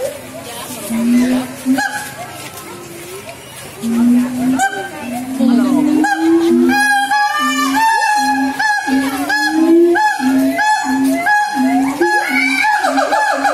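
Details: Song of a siamang, the tailless black long-armed ape of Sumatra: low booming notes speed up into a steady fast series, topped by looping higher whoops as the chorus builds.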